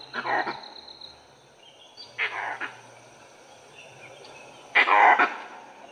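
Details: Harsh, coughing alarm barks from a langur in an Indian forest, repeated every two seconds or so, given on a dewy morning with a leopard nearby that dholes later tree.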